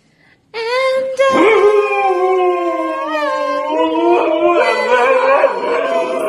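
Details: Pet dog howling along as someone sings, in a funny dog compilation; one long, steady, wavering howl that starts abruptly and holds for about six seconds, drifting slightly lower, with overlapping tones layered above.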